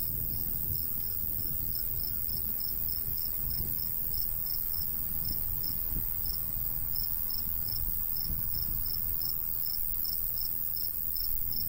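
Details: Summertime countryside crickets by a golden wheat field keep up a fast, steady train of bright, high chirps, several each second, while a light breeze rumbles low underneath.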